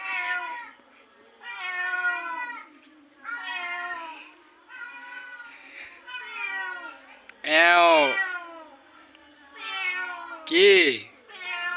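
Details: Recorded crying of kittens, played loudly to a cat in a backyard: a series of high, harmonic mewing cries, about one every second or so, some rising and falling, with two louder, sharper cries near the end.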